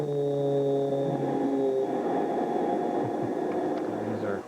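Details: A low, steady horn-like drone with broad rumbling noise, and no animal voice.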